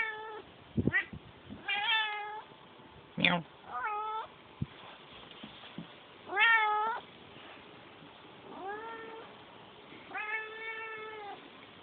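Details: A domestic cat gives a run of meows, short chirpy ones and longer drawn-out cries, with some clicks and handling noises between calls over steady background hiss.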